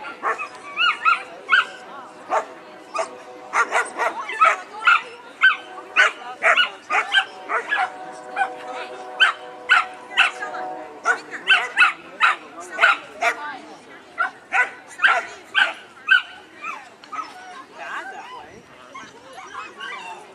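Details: Labrador Retriever barking at a trial in Monroe, Washington, amid spinning and play; sharp harmonic barks come in quick irregular bursts, about two a second, with people talking in the background.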